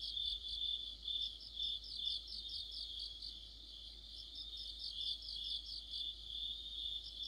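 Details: Autumn chorus of crickets and other insects, a street lamp mentioned nearby: a steady high ringing band overlaid with rapid pulsed chirps repeating about twice per second, several callers overlapping, no other sounds.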